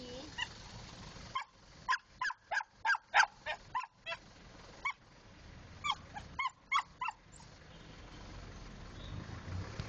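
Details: Pet dog barking playfully in quick, short, high yelps, two bursts of about eight to ten sharp notes each, separated by a pause, over steady low background hiss and rumble.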